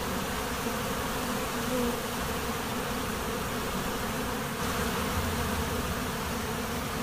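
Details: Swarming honey bees at a monastery apiary: a thick, unbroken drone of countless wingbeats, even in pitch, with a few brief higher whines of single bees passing close.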